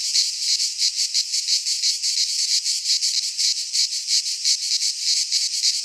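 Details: Cicadas of the Greek fauna singing in a pine wood at midsummer: piercing, buzzy trill beating in rapid even pulses, nearly three each second, nothing else audible.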